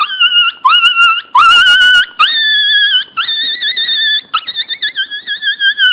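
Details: Loud crying from a Pinscher puppy: long high whines that rise at the start, then hold level, ending in a string of quick pulsing whimpers.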